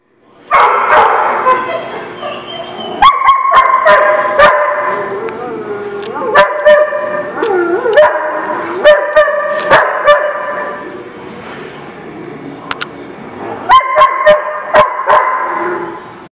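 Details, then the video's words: Several dogs barking together in a dog lot, recorded June 24, 2019: a dense mix of overlapping harsh barks, yips and sliding, whining tones, broken by sharp clicks and a few brief gaps. "The Barking Lot"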